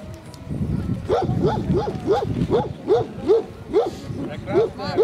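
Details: At a Central Asian Shepherd Dog club show held in Krasylivka, Kyiv, on 28 September 2019, a dog barks in a fast, steady series of about eleven deep barks roughly every 0.4 seconds, with crowd chatter behind.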